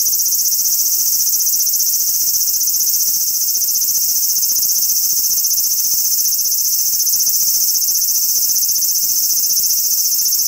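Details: Steady, shrill sizzling drone of a large brown cicada on a cherry tree in a park, holding a constant loudness from start to finish.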